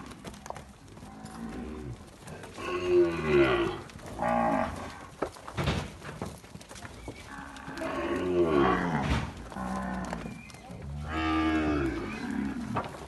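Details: Nelore calves on a farm in Amaralina, Goiás, Brazil, progeny of a named sire, calling loudly: long harmonic-rich moos rising and falling, three main bouts spaced about four seconds apart, with thumps and clatter between.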